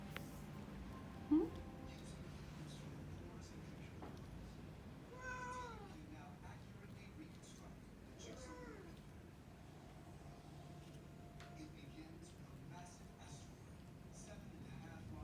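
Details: Indoor Burmese cat that wants to go and wake the baby meows twice, two clear arching, drawn-out mews a few seconds apart, over a steady low household hum.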